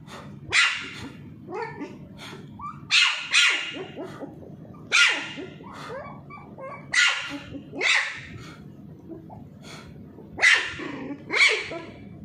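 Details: Charlie, a Pomeranian puppy, barks while being teased as he plays with a ball. Sharp, high yaps come in bursts of one or two, about every one to two seconds, with soft whiny squeaks between them.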